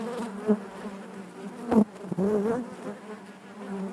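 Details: Inside a honey bee hive, a continuous droning hum carries shifting overtones; sharp close buzzes flare briefly at about half a second and near two seconds before the colony drone settles back.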